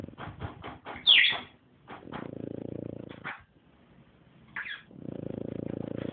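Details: A French Bulldog named Chato snores in his sleep, said to sound like a man. Long stretches of low, rasping, pulsed snoring are broken by short breathy puffs and a sharp high squeak early on.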